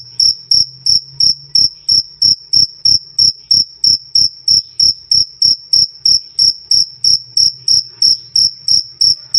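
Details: Cricket sound, loud and clear 'krik krik', offered as tutor audio for songbirds such as lovebird and murai batu: high ringing chirps pulsing steadily about three times a second, each with a faint low thump beneath, no other sounds.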